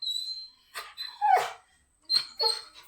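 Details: Pet Labrador Retriever whimpering as its owner gets ready to leave: short high whines and a sliding yelp-like note, rising and falling, in bursts separated by brief silences indoors.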